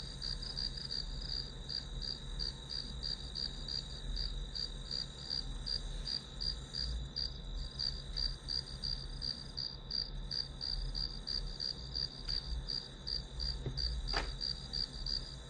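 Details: Continuous grass insect chorus, shrill pulses repeating about three per second over a steady high drone, low hum below and a brief faint click near the end.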